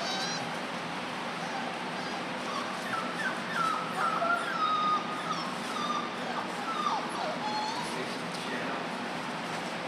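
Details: German Shorthaired Pointer puppies from a litter at four weeks old, giving a run of thin, wavering whimpers and whines, sliding up and down in short strings through the middle of the clip, over a steady background hiss.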